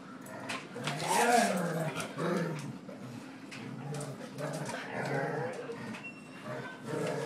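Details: An angry dog that doesn't like to be pushed around growls in low rumbling bursts, interleaved with a man's calm voice praising it as a good boy.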